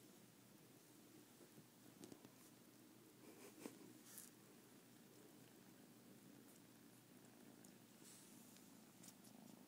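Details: Two domestic kittens, the larger one sucking on the ears of the smaller: a steady low rumbling purr runs throughout, with a few soft clicks and rustles on top.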